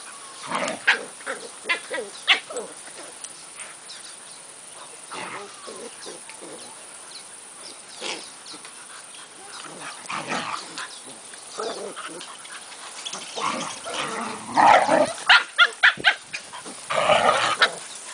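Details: A 6-month-old Siberian Husky at play with a 3-month-old Australian Cattle Dog puppy gives irregular bursts of yips, whines and rough growling grumbles; play vocalizations.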